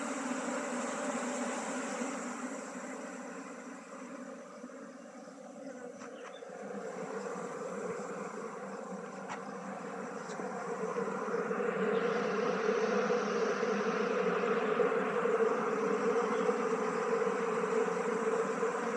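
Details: Swarm of honey bees humming while being transferred from a log hive to a modern box hive in beekeeping; continuous droning buzz that swells louder in the second half, with a few faint clicks.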